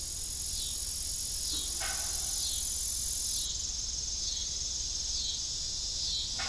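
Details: Crickets chirping in the evening near an abandoned farm windmill; a bright, shimmering high chorus with faint pulsing, broken by one sharp metallic creak.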